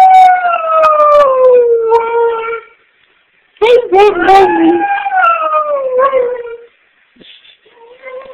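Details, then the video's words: A dog performs a howl on command in two long drawn-out phrases, each sliding downward and wavering, separated by a short silence, followed by a few faint whimpering notes. "Dog Howling on Command"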